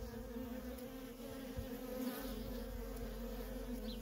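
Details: Worker honey bees at a feral colony in nonstop traffic, a steady low hum with bands near 250 and 500 cycles, occasional louder passes of individual bees swelling briefly over the drone.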